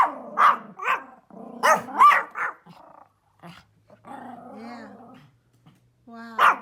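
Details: A Pomeranian outdoors barks at deer it sees outside, giving sharp, high yappy barks in quick, uneven bursts, with a softer whining growl between.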